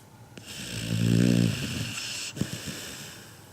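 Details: Sleeping Labrador Retriever puppy Kinako, 7 months old, gives an old-man-like snore: a breathy hiss swells into a deep, rattling rumble, then fades into a soft snort and quieter airy breaths.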